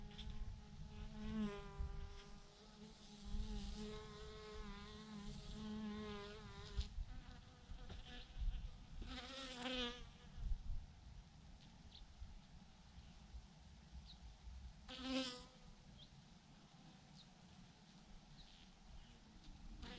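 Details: A massive clump of thousands of bees on a branch drones with a harmonic hum, louder bees passing close by at times, over low rumbling wind noise.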